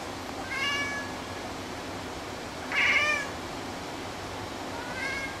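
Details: A pet cat meows after someone sneezes, its usual reaction: three short harmonic meows roughly every two and a half seconds, the middle one loudest, over a faint steady room hum.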